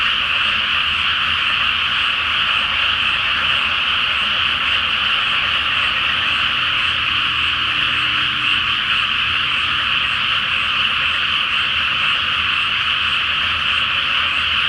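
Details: A great chorus of frogs in a flooded rice field before planting, on a full-moon night; continuous massed high croaking throughout, a brief faint low tone near the middle.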